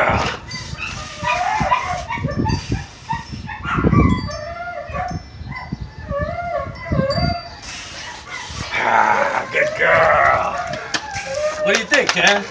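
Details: Donovan Pinscher pups being tested: high, bending whimpers and short yips come in quick, uneven bursts, mixed with a woman's praising voice and handling noise.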